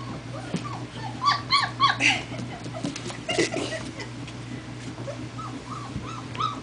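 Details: Four-week-old German Shepherd puppies on their first walk, giving scattered high whimpers and short yips, several overlapping, against a steady low hum and background chatter.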